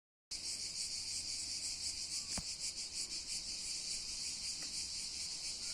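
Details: Cicadas on Cat Mountain, a loud continuous high buzzing shrill with a pulsing texture, steady throughout, with a faint click partway through.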